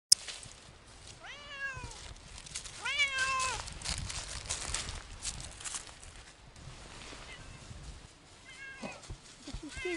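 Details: Siamese cats, Otani and Yozora, off-leash on a three-hour hike through a wild forest; several drawn-out harmonic meows rising then falling, two near the start and a shorter one near the end, over rustling leaves and footsteps.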